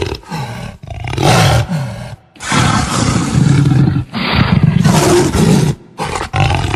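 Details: Deep, gravelly jaguar growls swelling into loud roars, delivered in several long rough bursts with brief quiet breaks between them.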